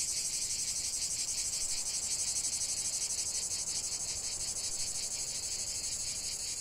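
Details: Cicadas chanting together in nature, meant for calm listening: a piercing, continuous buzz beating in quick regular pulses, roughly three per second, evenly loud and uninterrupted.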